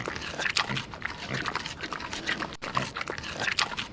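Pig grunts and short squeals, rough and noisy, arriving in bursts about once a second over a busy background.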